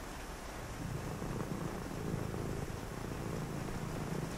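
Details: Cat purring on a rainy night, a deep vibrating rumble that swells in slow pulses after a quieter start, with a continuous hiss of rain behind it.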